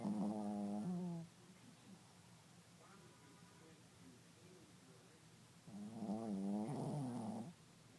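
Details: A Shih Tzu asleep and snoring: two loud, tonal, buzzy snore bursts, each lasting about a second, with a faint softer breath between them, against a quiet background.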